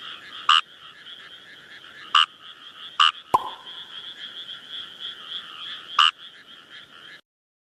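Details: In the wild, a Kawamura's rice frog repeats brief, harsh croaks, five spaced one to three seconds apart, against a dense, droning frog chorus; a single sharp knock partway through.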